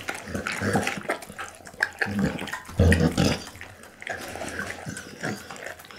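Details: Bounce the pit bull feeding on raw meats and bones such as beef kidney, lamb spine and horse meat; dense, slurping, crunching mastication with low grunting undertones, loud and close throughout the few seconds.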